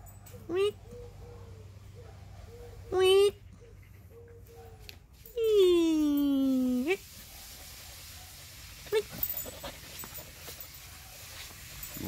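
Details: Pet husky Whiskey, playing with a bird, makes a few short, high whimpers. These are followed by a long, loud whine that glides steadily downward. People's voices talk around the dog's sounds.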